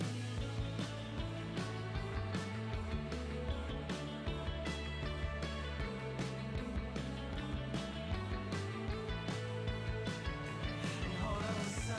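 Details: A steady rock-style backing track with guitar and a regular beat fills the whole stretch; no animal sound is heard.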